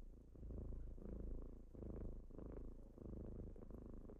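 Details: Low, buzzing purr of kittens waking their owner in the morning, swelling and dipping about twice a second, no other sounds.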